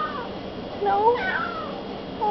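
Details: Talkative pet cat indoors, standing in the way of someone carrying an empty milk carton: a single bending, drawn-out meow that rises then falls, with a woman's voice and room hum behind.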